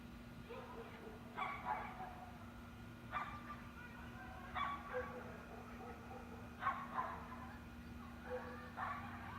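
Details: A dog barks in short bursts a few seconds apart over a steady low hum, on a Sunday evening in a small town.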